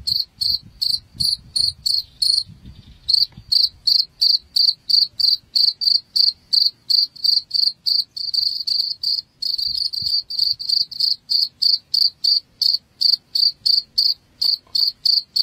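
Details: Cricket sound played to chase rats from a home: loud, high pulsed chirps in a fast, steady train of roughly three per second, briefly smoothing into a continuous trill partway through.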